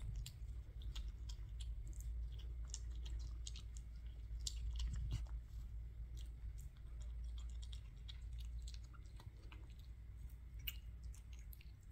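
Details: Close, soft chewing and crunching in a small room, with clicks and low rumble, and no clear animal call.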